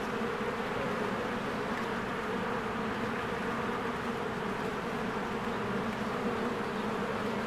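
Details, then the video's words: Spring beehive with crowds of honeybees flying around the entrance, a constant, even, low buzzing drone with no breaks or other clear sounds. "1 Hour of a Beehive ASMR"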